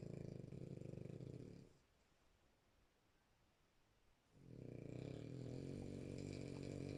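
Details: A French Bulldog snoring while asleep indoors: two long, deep, rumbling snore breaths with rapid fluttering texture, separated by a quiet pause of about two and a half seconds between inhalations.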